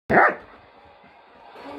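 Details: Pet dogs, a German shepherd and a Jack Russell cross Chihuahua, 'talking': one short sharp bark with a harmonic, mid-pitched burst, then a quiet room hum.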